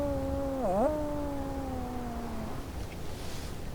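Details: Wolf giving a smooth, low tonal howl with a quick dip and recovery early on, then gliding gently downward for about two seconds before fading, over a steady background hiss.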